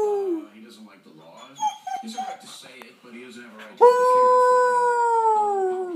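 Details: Newly adopted pet dog howling indoors while its owner howls to prompt him; a wavering human-like howl first, then a loud, sustained clear dog howl that holds steady before slowly falling in pitch.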